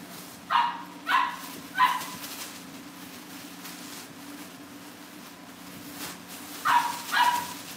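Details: Young Cavalier King Charles Spaniels indoors at a breeder's home give sharp, high yips, three in quick succession, then a long pause and two more, against a faint constant household hum.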